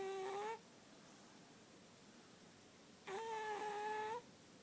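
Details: Snores from Lily Bean the cat while asleep: two whistly, reedy tones, the second longer and rising slightly at its end, separated by about three seconds of near silence in a small room.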